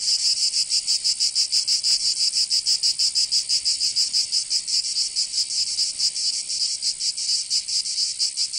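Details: Cicadas of Provence, southern France, in summer: continuous high rasping drone with a fast throbbing rhythm, pulses a little uneven and softer in the second half, nothing else audible.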